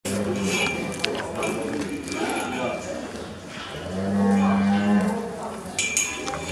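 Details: Highland cattle calves, friendly and being petted at the 19th Highland Cattle Show Switzerland, Vianco Arena Brunegg, 15 April 2018; a low drawn-out moo near the start and another longer one around four seconds, over indoor hall murmur.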